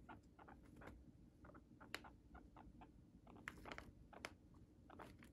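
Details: Indoor pet guinea pig munching Chinese cabbage: scattered sharp crunches and clicks of bites, clustered in quick bursts with brief gaps, over a quiet low-pitched room hum.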